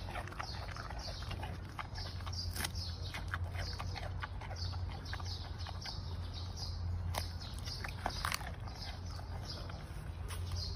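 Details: Giant panda eating bamboo shoots: frequent sharp crunching and snapping bites, irregular and broadband, over steady low hum, with small birds chirping repeatedly in the background.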